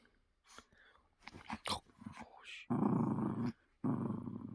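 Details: A pet poodle growling while playing with a stuffed toy indoors: two rough, low, rumbling growls, the first under a second, the second shorter, after a stretch of rustling and handling noises.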